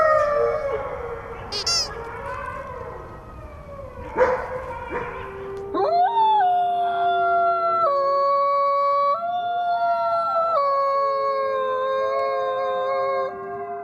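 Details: Wolves give ragged yips and wavering howls against background noise, then cleaner layered howls follow, held long on steady pitches that step abruptly up and down.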